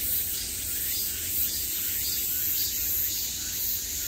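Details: Summer cicada chorus sounding on all sides, a continuous shrill buzzing wash with soft rhythmic pulsing in volume and a quiet low background hum beneath.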